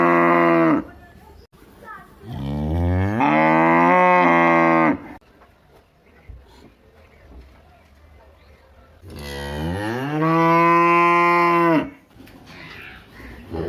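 A cow gives two long, loud moos, each rising from a low start into a sustained, harmonic-rich bellow.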